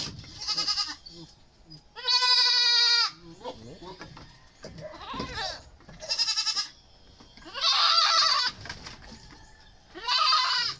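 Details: Young goats in the Philippines during deworming before weaning, usually at four months, sometimes three; loud, quavering bleats come in five separate bursts, each about a second long, with a strongly vibrating, nasal tone and quiet gaps of rustling between them.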